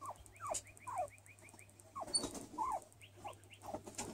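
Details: Luis, a hairless skinny guinea pig basking in the sun, gives several falling squeaks amid a rapid string of higher arched chirping notes that repeat and then return briefly near the end.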